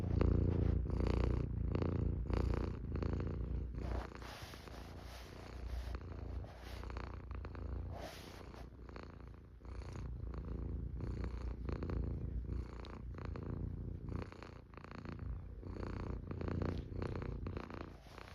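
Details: Long, even purr from a Norwegian Forest cat: a loud, deep vibrating hum in rhythmic breath-linked pulses, strongest at the start, with intermittent rustling and soft breathy noise.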